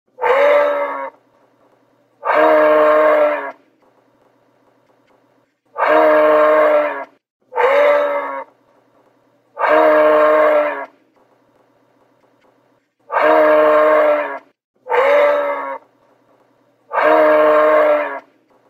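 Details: Moose (Alces alces), call.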